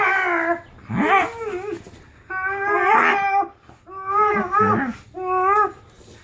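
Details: Dog recorded in June 2015 making noises: a series of five drawn-out tonal whines and yowls, each about half a second to a second long, wavering and bending in pitch with short pauses between.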